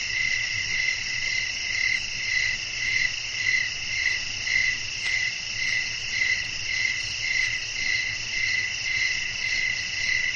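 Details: Crickets chirping in a relaxing night nature ambience with wind: a steady high trilling layer with bright pulses recurring about twice per second over a soft low rumble.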